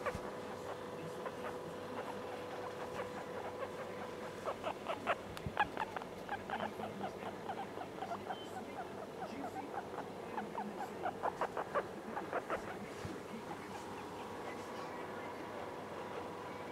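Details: Pet guinea pig Noah, a female about three months old, walking around while taken out; rapid bursts of short squeaky chirps repeated in clusters through the middle, over a steady background hum.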